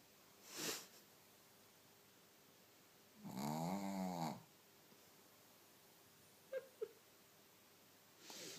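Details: A female Shih Tzu, asleep after a belly tickle, gives a long, loud, rattling, nasal snore with a wavering buzz.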